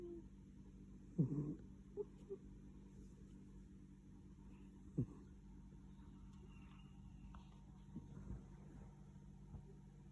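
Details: A domestic cat snoring while sleeping soundly, recorded on 21 April 2021: soft, low rasping breaths, with the loudest two about four seconds apart, over a steady low indoor hum.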